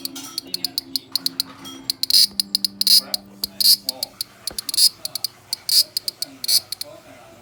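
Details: Large brown cicada recorded on 1 September 2020, sounding in short, harsh, sizzling high-pitched bursts that come irregularly, about eighty a minute, some longer than others, over a faint low murmur.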